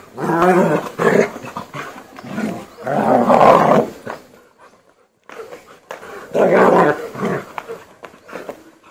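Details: German Shepherd during aggression training: loud, rough growling barks in four heavy bursts with a short pause near the middle, deep and raspy throughout.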